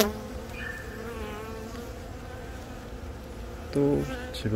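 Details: On a handheld brood comb in Baegam, Yongin, on April 20, honey bees hum around a young queen born from a natural swarm as she lays eggs. Continuous layered buzzing drone, with a brief higher tone early on and a couple of louder knocks near the end.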